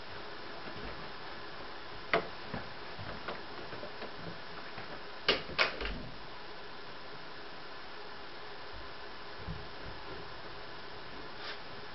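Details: Quiet indoor room tone with a few scattered knocks and clatters, and no animal voice at all.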